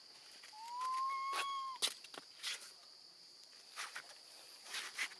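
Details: A baby female monkey left alone with her grandmother gives one loud, drawn-out, slightly rising tonal cry, calling for her mother, over a steady insect buzz.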